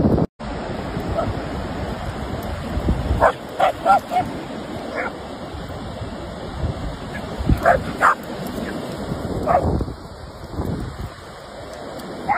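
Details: German Shepherd dog at play, giving short sharp barks in two loose clusters, a few around the third and fourth seconds and more near the eighth to tenth, over a constant roar of wind or surf-like noise.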